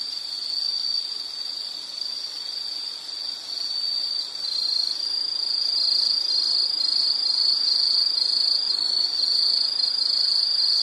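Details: Insect trilling on one high pitch: a smooth buzz at first that breaks into rapid, evenly spaced chirps roughly four times a second and grows louder toward the end.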